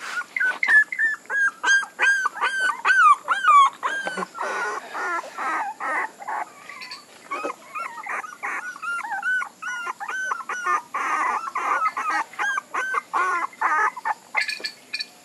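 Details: Puppies keep up a dense, continuous chorus of high-pitched whimpers and whines, overlapping rising and falling cries repeated rapidly throughout, with occasional sharper squeaks.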